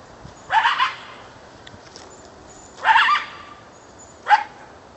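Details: Coyote right over the back fence at about 4 pm, perhaps calling its mate, gives three hoarse, rising barks with short yipping onsets, spaced irregularly, while a dog was frantic to get out.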